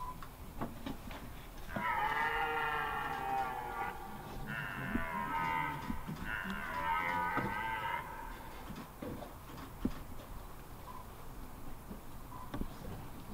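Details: Red deer stag bellowing during the rut at Hoge Veluwe, Netherlands, on 22 September 2021, as two stags meet and one is chased away without a fight; a long, hoarse, roaring bellow of about six seconds, broken into pulsing roars.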